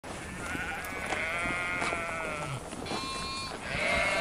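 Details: Sheep bleating: a long wavering bleat with stacked harmonics lasting over two seconds, followed by shorter bleats, over a steady background hiss.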